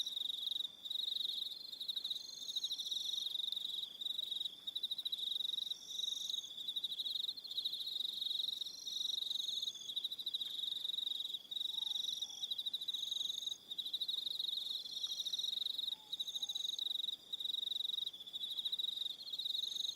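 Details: Evening crickets on Aroha Island, New Zealand, calling in a dense chorus: a steady high pulsed trill with several overlapping callers, continuous rapid chirps broken by brief pauses, plus fainter higher trills above.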